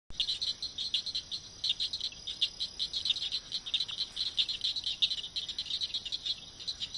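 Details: Southern cricket frogs (Acris gryllus) in Abita Springs, St. Tammany Parish, Louisiana, recorded 11 April 2011, give rapid, high, dry clicks in uneven bursts, like pebbles tapped together.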